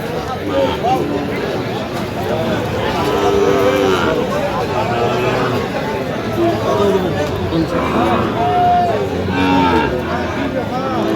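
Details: At a crowded cattle market on 15 November 2025, Sahiwal bull calves sought by farmers from Dhaka give several low, wavering moos scattered through dense background speech and bargaining.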